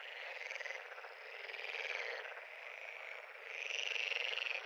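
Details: Frog pond at full volume: dense overlapping trills with a fast pulsed rhythm, growing louder toward the end as a strong warbling call rises over the chorus.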